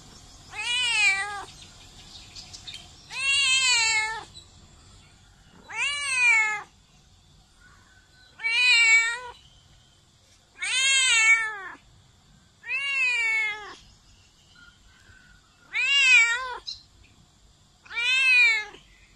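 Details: Domestic cat meowing very loudly: eight long, harmonic-rich meows, each rising then falling in pitch, spaced roughly every two to three seconds against a quiet background.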